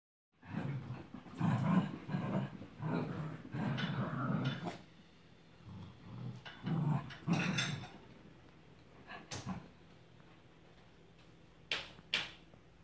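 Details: Two Cavalier King Charles Spaniels, one ruby and one tricolor, playing chase around a coffee table indoors; low rumbling growls come in bursts over the first eight seconds, then scuffling and sharp knocks.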